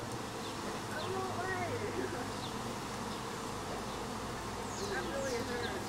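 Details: A continuous low drone from a honey bee swarm that has formed again one week later, even throughout, while small birds chirp and twitter lightly in the background.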